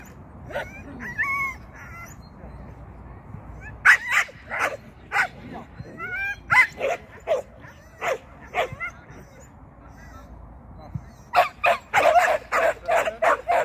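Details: Sian, a Shetland sheepdog, during agility training, making a first flyer on the seesaw and a first run through the tunnel. Scattered whines give way to sharp, irregular barks, and a final burst of rapid barking comes near the end.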